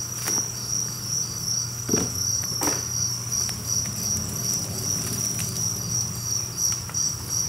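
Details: Two-spotted crickets, roughly 1000 kept together in an apartment-style enclosure, give a dense high-pitched pulsing trill without pause, with occasional soft knocks and rustles and a faint low hum.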